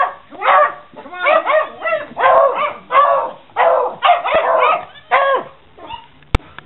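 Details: Beagle with Puggles answering the call "Who wants cheese?", a chorus of excited yips, barks and howling whines in overlapping bursts, several dogs sounding together, ending with a sharp click.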